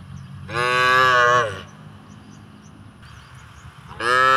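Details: In a village rice field, a cow grazing on grass gives a loud, drawn-out moo, then starts another after a short pause.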